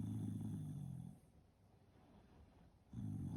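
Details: Shiba Inu asleep, giving two deep, low, rasping snores about two seconds apart, with quiet breathing in the pause and a faint high-pitched hum throughout.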